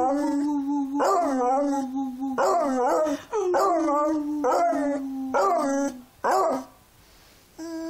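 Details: Beagle singing in a run of drawn-out howls, each with a brief upward yelp then a level held note, repeated about once a second before a short pause and one final note.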